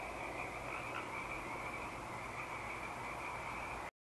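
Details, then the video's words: Eaglecrest frog chorus at night on 19 March 2012, a constant buzzing mass of calls with an owl hooting in the background, ending abruptly in silence. "Frog Chorus & Hoot Owl"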